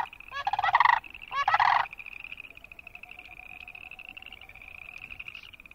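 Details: Boreal chorus frogs croaking, recorded with Wilson's snipe and sandhill cranes nearby: two loud, rapid pulsed trills about a second each, then a steady high chorus of distant frogs and a faint lower drawn-out tone.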